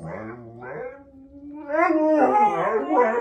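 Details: Siberian Husky howling at the owner's urging, a drawn-out wavering vocal with rich harmonics that slides and rises, then breaks into louder yodelling, warbling notes; music plays behind.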